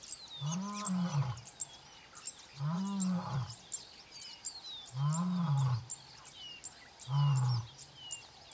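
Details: A very young male lion from the Mbiri pride contact calling close to camp in the early morning, separated from the rest of the pride: four deep, moaning grunts about every two seconds, each rising then falling, with birds chirping in the background.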